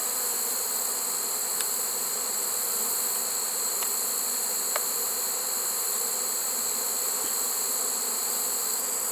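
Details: Late-season honey bee swarm in a trap, recorded 1 September 2019, giving a continuous droning buzz with layered low tones, set against a steady shrill insect chorus and occasional soft ticks.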